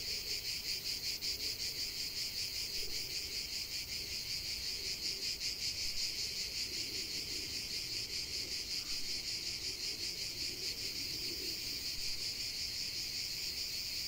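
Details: Cicadas singing in a natural setting: a dense, continuous buzzing chorus concentrated high in pitch, pulsing rapidly and steadily throughout, with a faint low murmur of background ambience beneath.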